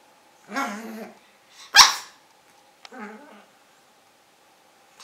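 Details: Five-month-old pug puppy Carlos barks indoors: a drawn-out harmonic yap, one sharp loud bark near the middle, then a softer yap, with quiet gaps and a steady faint hum behind.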